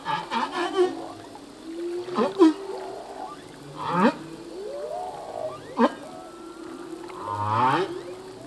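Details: Humpback whale male song with a busy sequence of quick upsweeps, chirps and low grunts, scattered short pulsed bursts, and a faint steady whistle line in the background of the ocean.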